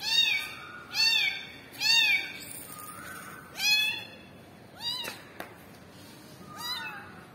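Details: Kitten crying for its mother cat. It gives loud, clear meows, each rising then falling, about six calls spaced roughly a second apart. The last ones are softer. There is a sharp click near the end.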